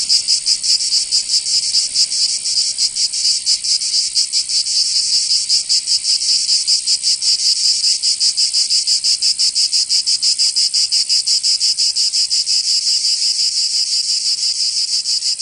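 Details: Cicadas singing in summer in the south of France, Provence: a loud, harsh, high buzzing chorus that throbs in steady pulses about three times a second, unbroken for the whole stretch, with no other sounds.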